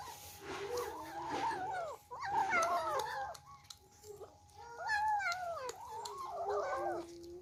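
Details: Young kittens squabbling over food at their first meal give repeated wavering, rising-then-falling meows, several overlapping in bursts separated by brief pauses, over a faint steady background hum.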